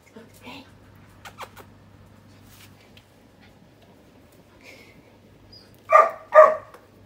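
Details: Rescued, once-abandoned puppy that has just joined a household of thirteen dogs: quiet indoor murmur and faint voices, then two short, loud, punchy barks close together near the end.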